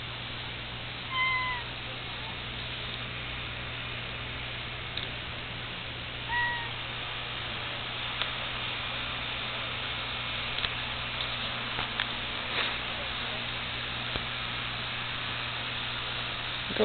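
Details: Domestic male cat with @-shaped markings on his sides, giving two short, clear meows, one near the start and another about five seconds later, over a steady low hum and quiet room noise.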